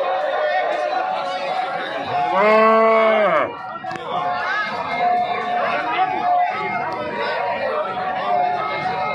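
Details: Cow at the weekly Sunday Jarua cattle market near Hajipur, Bihar, 18 km from Patna, on a rainy day with few buyers; one loud, drawn-out arching moo of about a second over steady crowd chatter and voices.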